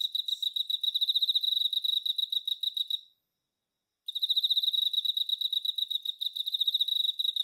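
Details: Emma field cricket, a male, trills a clear, high-pitched string of fast pulsed chirps. It stops for about a second, then resumes the same bright, ringing rhythm.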